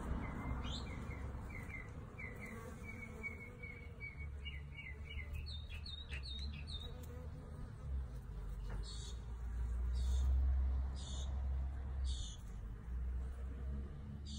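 A honey bee's low, steady wing buzz hums close by, with faint bird chirps above it.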